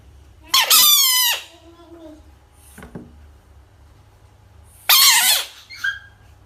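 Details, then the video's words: Frog described as angry giving a piercing, squealing scream that trails down into a lower moan, a faint click, then another shrill scream about four seconds later, with a low steady hum underneath. "Angry frog/ frog sounds"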